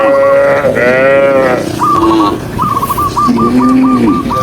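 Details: Herded cows on a green hill, with a rich, rising-and-falling moo at the start and a lower, shorter low call later, over quick repeated high warbling notes.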